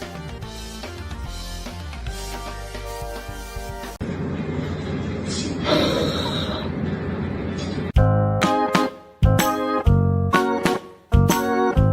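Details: Piano and keyboard music with a little speech, breaking after eight seconds into loud, choppy bursts of music separated by short gaps.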